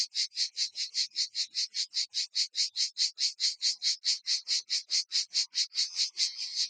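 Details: Cicadas in Provence near Vaison-la-Romaine chorusing together in the open air, a shrill, rhythmic buzz pulsing evenly about four times a second without pause.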